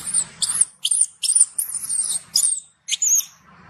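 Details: Baby macaque loudly protesting after its mother refused to nurse it: a rapid run of piercing, very high squealing screams, each short and rasping, repeated about twice per second with one brief pause.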